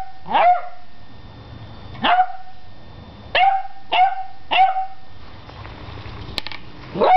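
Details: An 11-week-old beagle puppy confronting a broom gives six sharp, high yipping barks with quick falling tails, spaced irregularly over seven seconds, plus one brief click between barks in a quiet room.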